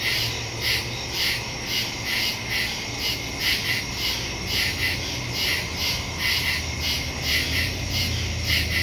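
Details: Woodland crickets calling after dark, recorded September 2 on a phone with stereo microphone; high shrill chirps throb in a regular rhythm while a low rumble and hum sit underneath the insect chorus.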